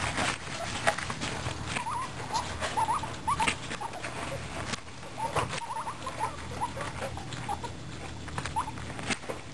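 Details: Pet guinea pigs eating a carrot: short soft squeaks near the same pitch come in small clusters through the clip over steady crunching and gnawing clicks.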